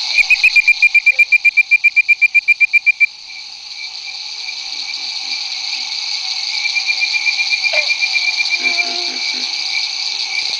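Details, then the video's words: A bird-voiced treefrog in the Barataria-Terrebonne Estuary, Louisiana, at 9 pm on May 10, 2011, gives a fast string of clear, whistled notes over a steady night chorus that includes pig frogs. "Hyla avivoca, Bird-Voiced Treefrog, Barataria-Terrebonne Estuary"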